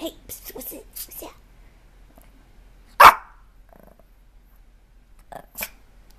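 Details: Dog barking twice at home, one sharp, explosive bark in the middle and a softer one near the end, after a woman scolds it about rolling on the bed.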